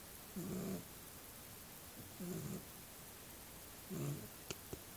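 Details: Small pet dog asleep, three rumbling low snores spaced under two seconds apart, followed by a couple of sharp clicks near the end.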